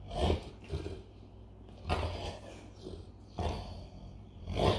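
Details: A male Bernese Mountain Dog makes deep, throaty rumbles in short bursts, like an idling Harley-Davidson motorcycle.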